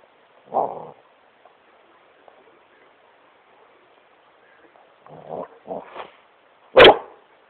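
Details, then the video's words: Great Pyrenees Smokey having fun on his couch indoors, giving a low grumbling woof, then a pause before softer growly barks and one sharp loud bark at the end. "Great Pyrenees smokey barking at couch"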